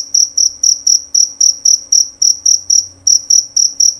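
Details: Loud, clear chirping from a male jerabang cricket: short, piercing high pulses repeated roughly four times per second in a tight, regular rhythm, over a quiet background.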